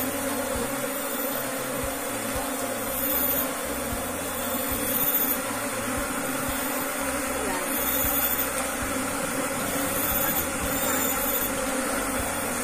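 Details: Asian honey bees (Apis cerana) kept by a beekeeper in a managed colony: a steady, dense droning hum holds at an even level from start to finish, with faint high whistling tones above it.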